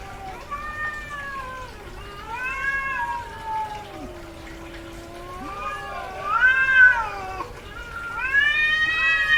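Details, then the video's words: Domestic cat, a female in heat, vocalizing heavily: a string of wavering, rich-toned meows, some short and arched, others long and sliding down into a low moan, swelling to loud wails toward the end. "SOM de GATO no cio - Barulho de GATA no cio Gatos miando"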